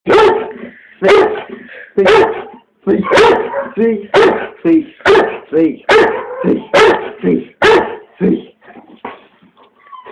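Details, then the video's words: A pet dog barking steadily indoors: about nine sharp, loud barks roughly one per second, then softer yips and whines trailing off near the end. "MAXS BARK"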